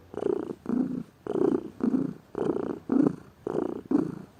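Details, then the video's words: Lazy pet cat purring indoors, a low rumbling purr in rhythmic pulses roughly twice a second, each breath cycle swelling and fading with short quiet gaps between. "Gato Ronronando, Som de Gato, Ronronar de gatos"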